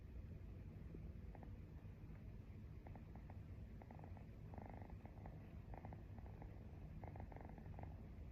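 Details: Domestic cat purring while its owner falls asleep; a low, steady, continuous rumble fills the whole recording, with faint brief higher clicks and rustles scattered throughout.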